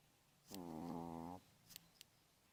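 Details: Pomeranian dog asleep and snoring during a manicure: a single buzzy, droning snore of about one second, followed by two faint clicks.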